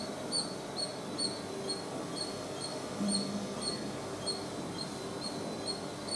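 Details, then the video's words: A squirrel gives a steady run of sharp, high chirps, about two each second, evenly spaced over a low murmuring background. "Squirrel Sounds Squirrel Chatter Squirrel Noise making Sound"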